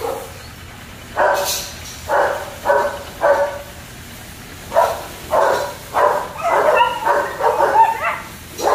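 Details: German Shepherd puppies at a kennel barking in short bursts, irregular yaps spaced roughly half a second to a second apart, some overlapping, with a few higher yips near the end; steady low background hum.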